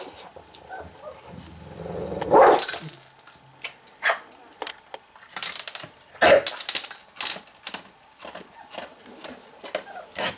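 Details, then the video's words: Angry dog at its meal lets out two loud snarling barks about four seconds apart, with softer grumbles, chewing and clicking noises in between. "Angry eating dog"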